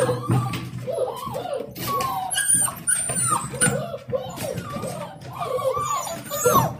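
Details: Excited seven-week-old Dalmatian puppies welcoming their owner back from work: continuous overlapping whines and squeaky yelps from several pups, with background music and brief speech.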